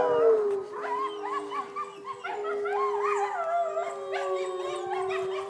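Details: Several wolves at a sanctuary howl in chorus, one steady low drawn-out tone held under higher voices that rise, fall and waver, overlapping into a layered, sliding sound.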